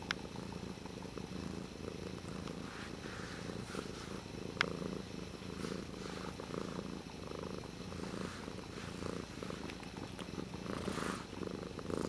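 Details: Dutchess, a pet cat, plays with a water bottle lid while a continuous low pulsing purr hums underneath, with occasional sharp tapping sounds and one louder click near the middle.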